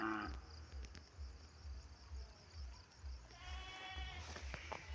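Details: Domestic goats kept by their owner, calling at dusk in drizzling rain as fodder is brought to them; one short wavering bleat with a rich harmonic tone near the end, over low rumbling wind and handling noise.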